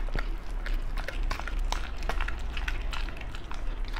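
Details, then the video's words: {'caption': 'Close, dense chewing from a Beagle on raw meat and offal indoors: rapid wet crunches and tooth clicks packed tightly together, barely pausing over four seconds.'} "ASMR Beagle eat raw foods."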